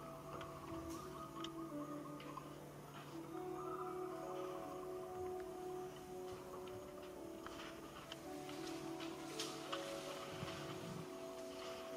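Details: Background music with steady tones and ticking clicks, no clear animal voice heard.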